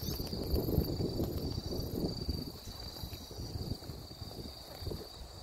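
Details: Grassland insects on the Deudeul riverbank at Nampyeong in late September; a steady, unbroken high-pitched trill holds throughout, with low wind rumble beneath.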